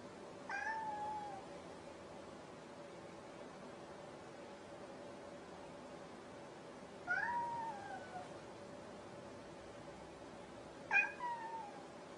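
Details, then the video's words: Domestic cat meowing three times over about twelve seconds, each meow a short rising-then-falling wail with bright harmonics, spaced several seconds apart against a steady low hum indoors. "Kucing Yang lawak"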